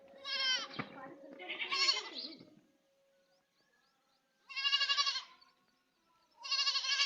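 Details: Baby goat crying: a long, wavering, nasal bleat with rich harmonics, a second strained bleat, a pause, then two more tremulous bleats in quick succession.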